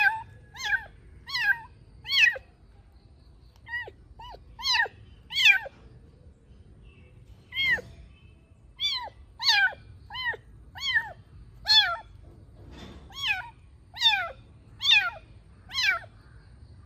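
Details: Young kitten indoors during playtime, giving short high-pitched meows in quick bursts, mostly pairs and triplets with pauses between groups, the calls rising then falling in pitch; faint low background hum.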